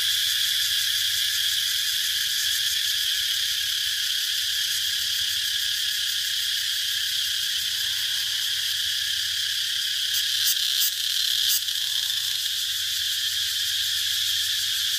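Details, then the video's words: Cicadas droning in a steady, dense, high-pitched buzz that holds unbroken for the whole stretch, with a few brief pulsed flickers near the end and a faint low hum beneath. "Cicada sound"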